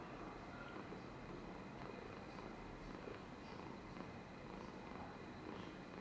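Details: Polychromatic Amber, a pet cat, purrs and dribbles on 13 July 2022: continuous deep throbbing rumble, even in loudness from start to finish, over a light constant hiss.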